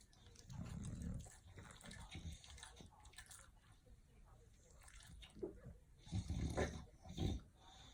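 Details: Bulldogs snoring softly in their sleep, a low wheezy rumble with uneven snuffling puffs that grow louder and choppier near the end.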